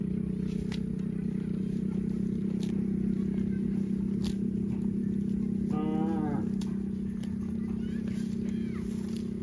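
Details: A cow gives a long, deep, droning moo that holds steady through the whole stretch, with a brief wavering higher-pitched call near the middle and faint human voices in the background.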